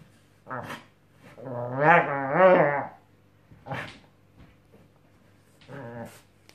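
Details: Obama the Scottish Terrier grumbles while trying out a new mattress. A drawn-out wavering, whining growl lasts about two seconds, followed by two short gruff woofs.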